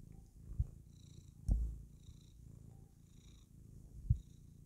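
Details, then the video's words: Domestic cat, a female pet, purring happily while clowning around indoors; steady low rumbling purr throughout, with a few soft thumps and faint higher squeaky noises above. "Kitty Cat is happy when she clowns around"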